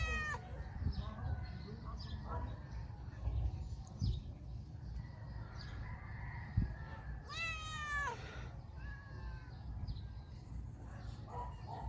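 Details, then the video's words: Calita, a female stray cat that comes to feed mornings and early evenings, asks for love and affection before eating. Two drawn-out, harmonic meows, one at the start and a louder one near the middle, over low rumbling and a steady high electronic whine. "My stray cat asking for love and affection"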